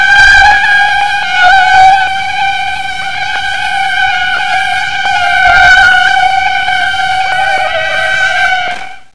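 A steady, high-pitched mosquito whine drones without a break, rich in buzzy overtones.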